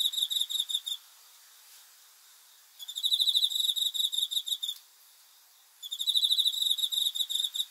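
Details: Cricket chirping at night in repeated bursts of rapid high pulses, each burst about two seconds long with short gaps of one to two seconds between them.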